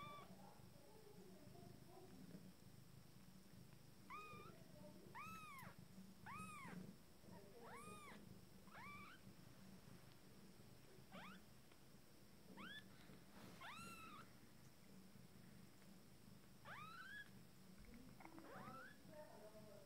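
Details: Abyssinian kittens from a first litter, fourteen days old and just starting to walk, give high, thin mews that arch up and fall back. About a dozen calls come at irregular intervals over a low, steady hum.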